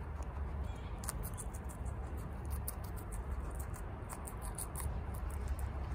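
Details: Bok choy being devoured by Chia, a female house guinea pig who eats really fast. Crisp leafy crunches come in clustered bursts with short pauses, over a low continuous hum.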